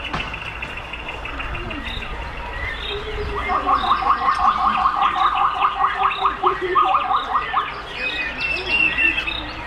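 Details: Captive meerkats at West Midlands Safari Park, Bewdley, Worcestershire, England, in winter, climbing closer to a warm red heat lamp; a rapid run of short, high chirps, about two to three per second for several seconds, over a steady background murmur.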